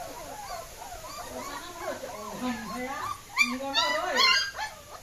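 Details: German Shepherd puppies escaping give a string of thin, wavering whimpers and squeals. Sharper high yelps cluster near the end over a steady background hiss.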